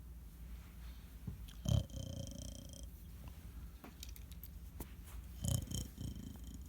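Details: A sleeping Pomeranian dog snoring indoors: a low, steady rumbling pulse with a few louder breathy bursts and faint background clicks.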